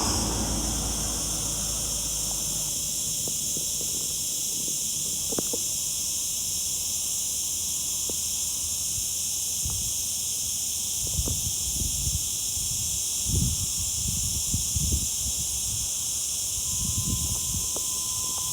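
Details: Steady high, sizzling drone of a summer cicada, called zeet zeet locally, runs without pause while scattered low thuds and clicks sound underneath.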